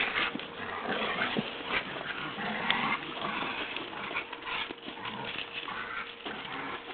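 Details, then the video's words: Two pet dogs, Daisy, who is getting old, and Lenny, playing tug together; a continuous rough, grumbling, noisy tussle with scuffling bursts and no clear pauses, recorded indoors. "Dogs play Tuggy"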